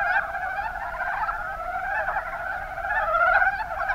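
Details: Rana ornativentris, the mountain brown frog, calling en masse in the Kuma Basin, Kumamoto, Japan; a continuous mesh of rapid, grating croaks, growing slightly louder toward the end.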